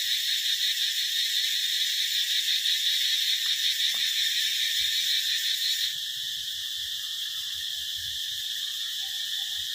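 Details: A summer cicada chorus. A shrill, continuous, buzzy whine holds at the same loudness, then eases slightly and shifts tone partway through. Faint low background noise sits underneath.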